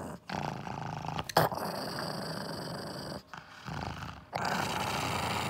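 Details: Six-year-old female pug named Kongzi growling while guarding a bone treat indoors; a low, rough, sustained rumble broken by brief pauses, with a woman's voice speaking in Korean just after.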